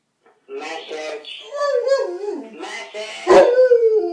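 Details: Domestic dog answering a phone ring with a wavering howl that slides up and down, broken into short yips and ending in a louder drawn-out falling note.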